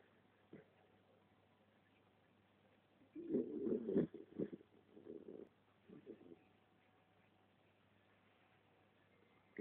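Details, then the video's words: Skye, a three-year-old West Highland White Terrier, takes a nap beside her owner. One rough, low snore swells near the middle, followed by a few softer snuffling breaths. A faint steady hum runs underneath. "Skye snoring"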